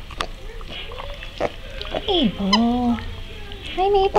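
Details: Micro mini pig named Mabel, a pet among several running micro mini pigs, giving a run of high tonal squeals and short grunts that slide downward, some wavering, with a woman talking to the pigs.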